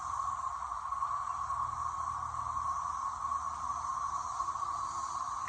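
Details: Thousands of periodical cicadas in a backyard, early afternoon on May 2, 2024, form a dense chorus, a steady, unbroken droning whine.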